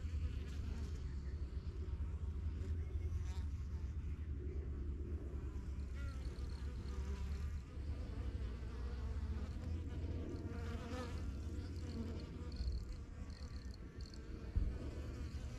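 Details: Busy honey bees at a yellow backyard hive first set up in spring 2023, flying in and out; a thick low hum of many wings, steady throughout, with brief passing whines of individual bees.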